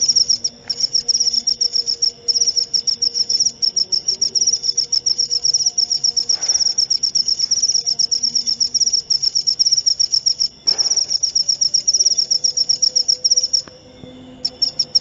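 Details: A cricket trills without letup in fast, high, pulsed chirps for most of the stretch, with a couple of short breaks and a brief dropout near the end; faint low background sounds beneath.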